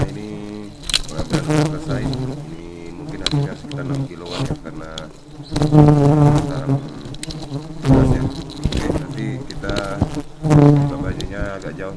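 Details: Highly aggressive honey bees fill the air with a deep, humming buzz whose pitch wavers as bees rush in close, making loud bursts about every two seconds over a constant drone.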